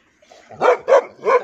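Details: Dog barking aggressively at its owner: three harsh, broad barks about a third of a second apart after a faint lead-in.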